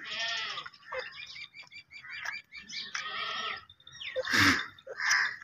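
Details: Baby goats kept as pets bleating: several wavering, harmonic bleats of about half a second to a second each, some nasal and rising, with a louder, harsher cry near the end amid light background noise.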